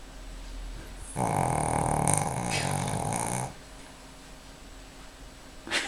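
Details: Mrvica, a 4-year-old Pekingese napping on a Sunday afternoon, gives one long rough snore of about two seconds. It is a rattling, buzzy breath with low throbbing pulses, set in a quiet room with a faint click at the end.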